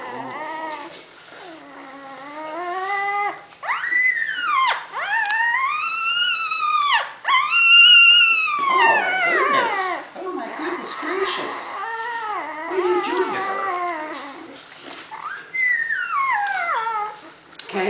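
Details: One-week-old female Bullmastiff puppy complaining loudly while relieving herself, vocal like her littermates: repeated high whining cries with arching, rising-then-falling harmonic tones, some long and wavering, several in a row across the recording.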